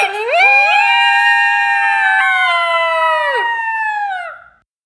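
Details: Coyote pair in a duet of howls: rising onsets into long level overlapping tones, one voice dipping and breaking near the end before both fade out.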